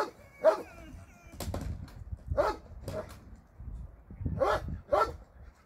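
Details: Dogs housed at a shelter for abandoned animals bark sporadically during a Sunday volunteer visit, scattered single barks over a busier background of low thumps and mixed noise.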